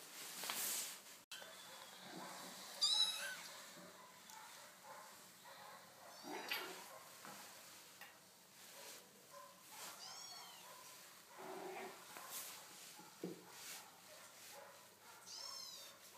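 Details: One-month-old Chartreux kittens, a litter of two males and two females born 17 June 2013 at a cattery, give thin, high, arched mews spaced several seconds apart, soft and distant over a quiet hiss with faint rustling.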